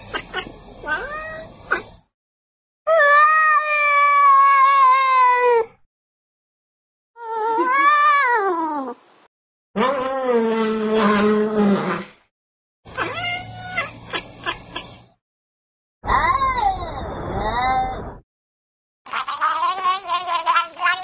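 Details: Pet cats in a run of seven separate meows and yowls, some long and steady, some rising and falling, some harsh and broken, each one to three seconds long and separated by short silences.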